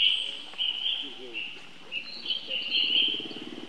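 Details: A young baby monkey gives a thin, high, wavering squeal, calling for help from its older sibling.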